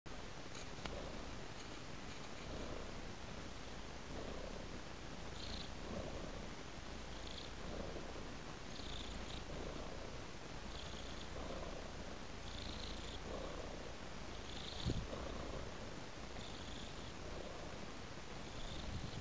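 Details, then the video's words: A domestic cat purring as it follows a trail of raw meat. The purr is a steady low rumble that swells in soft rhythmic pulses about every second, with faint higher hisses riding on each breath. "Purring Cat Follows a Trail of Raw Meat"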